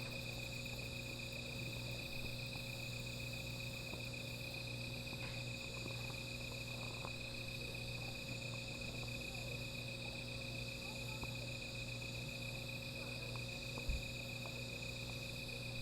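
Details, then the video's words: Insects calling at night beside a small fire: a steady, unbroken high-pitched trill holds one even tone throughout, with a fainter shimmering layer above it. A low constant hum runs underneath, and a few faint ticks and crackles are scattered through. "Sound of Insects"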